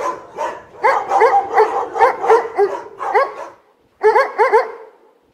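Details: A barking dog produces a rapid string of short, ringing barks, a pause, then another quick burst of three barks.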